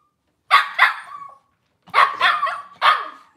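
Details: Cavalier King Charles Spaniel barking in a kitchen on a live puppy camera on a cloudy Monday morning; two sharp yappy barks, a short whine, then three more quick barks in a quiet indoor room.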